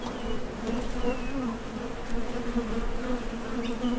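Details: Honey bees landing at and leaving a Top Bar Hive entrance while foraging for nectar; a thick, steady buzz with a low drone, rich overtones and rumbling low background noise.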